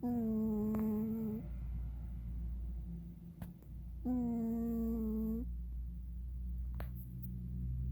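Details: Oreo, a pet cat, snoring while asleep: two long, steady, humming-whistled snores of about one and a half seconds each, spaced roughly four seconds apart, with rich overtones and a quiet room between breaths.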